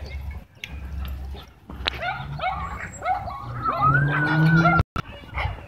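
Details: Dogs at a dog park during a dogfight, tension caused by leashed dogs brought inside; a rapid series of high, curving yelps and whines that rise and fall, ending in a steady drawn-out tone before a brief cutoff.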